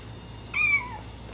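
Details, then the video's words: Abyssinian kitten crying during his first meal of raw greens mixed with canned kitten food, indoors; a single clear meow that rises then slides downward, with a woman speaking softly just before and after. "Abyssinian kitten cries during his first meal of raw greens mixed with can food"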